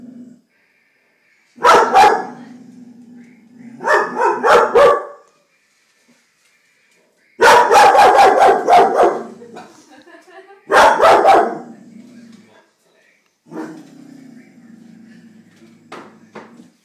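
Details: A female Vizsla, Vada, barks at a stink bug up near the ceiling inside the house; clusters of loud harsh barks separated by pauses, low whining grumbles trailing each burst, a woman's encouraging voice heard too.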